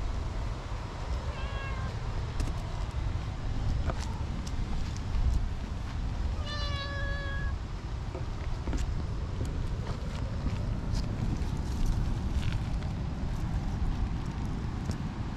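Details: Tortoiseshell cat that had been dozing in a tree, now seeking affection with intense rubbing; two short meows, one early and a stronger one midway, separated by quiet stretches with scattered clicks and rustles over a dense low hum.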